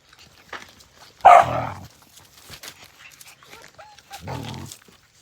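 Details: Australian Cattle Dog puppy at play: one loud, harsh bark-growl, then near quiet with faint shuffling before a second, softer growling bark.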